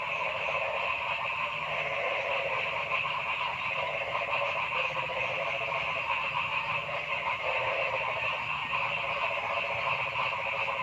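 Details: Forest frogs calling noisily, a thick continuous chorus of rattling, pulsed croaks stacked at several pitches, with brief swells of lower trilling notes every few seconds and no quiet gaps.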